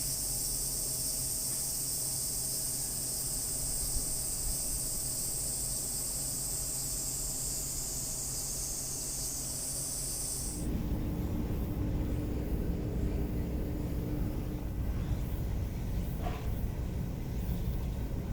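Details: Tsukutsuku-boshi cicada at Akisaizaki Station, Hiroshima Prefecture, recorded from the waiting room, singing energetically: an intense high continuous buzz for about ten seconds that cuts off abruptly, leaving low rumbling outdoor noise.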